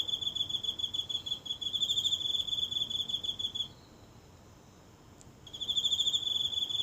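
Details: Lone insect in the grassy patch of a small house garden at night, recorded near by phone: a shrill pulsed trill for several seconds, then a brief silence, then the trill starts again.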